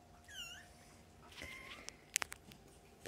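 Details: Foster kittens born around early October, nursing and playing with their mother cat, in care of the Humane Society of North Texas; one brief, high, rising-then-falling mew early on, then soft rustling and a few sharp clicks and taps.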